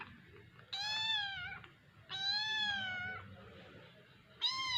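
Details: A baby cat meowing; three clear, high, drawn-out mews, each slightly falling at the end, roughly a second or less long and spaced about one and a half seconds apart in a quiet room.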